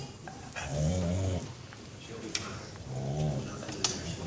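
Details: Beagle groaning with pleasure while being massaged: two low, drawn-out moaning groans, each about a second long, separated by a quieter pause with faint rustling.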